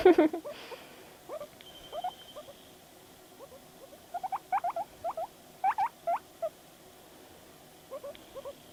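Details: Guinea pig Panda, a house pet, making noises while reacting to videos, giving clusters of brief rising chirpy squeaks, sharper and louder near the middle, with a soft thump at the start.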